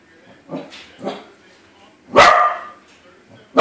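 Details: Corgi reacting to a balloon corgi: a few soft low grumbles, then a loud sharp bark and the start of another right at the end.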